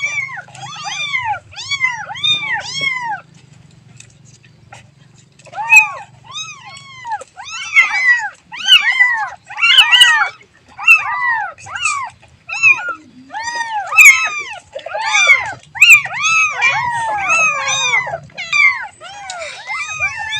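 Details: Baby cat calling its mother, giving dense runs of short arched meows, a few at first, then many overlapping calls in quick succession, with a low hum early on.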